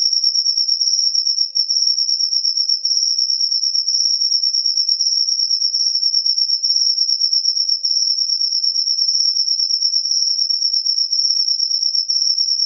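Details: Cricket calling after rain: a continuous high, shrill trill that holds one steady pitch and throbs rapidly without a break through the whole stretch, with no other sounds.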